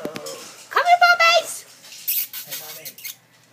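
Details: Chow Chow puppies almost three weeks old, now up and walking indoors: a short high squealing whine with a wavering pitch, preceded and followed by soft rustling and a few quiet human words nearby.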